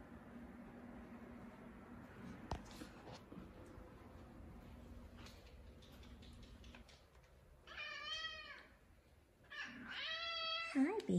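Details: A male F2 Savannah cat gives two drawn-out, arching meows while a person speaks softly to him, calling him over; he is described as a gentle giant being affectionate.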